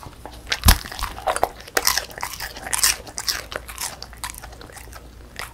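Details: Female Beagle named 송뭉이, born December 2016, eating a crispy puffed rice snack indoors; loud crunchy bites and chewing in rapid bursts, sharpest crack near the start, then steady munching.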